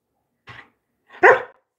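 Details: A Labrador Retriever gives a faint short sound, then after a pause a single louder, harsh bark that fades quickly.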